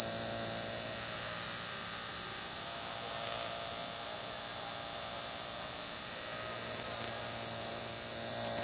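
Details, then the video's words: Cicadas buzzing in bushes of the Panchkula forests on 9 April 2021: a steady, shrill, very high buzz that holds unbroken and at even strength throughout. "Cicadas buzzing in the bushes of panchkula forests"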